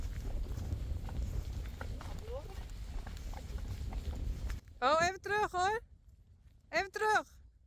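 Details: Friesian horses, colts and fillies being taken out to pasture, one neighing loudly: two long quavering whinnies with a falling-then-rising wobble, then a shorter neigh, after muffled footsteps, handling noise and a person talking in Dutch.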